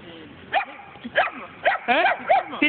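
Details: Kangal and German Shepherd mix puppies giving short, high, yelping barks about every half second, some with a wavering tone, while a person speaks in the background.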